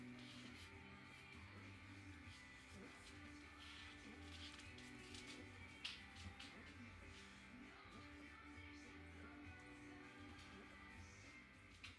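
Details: Music plays steadily indoors with some speech over it and no clear animal voice.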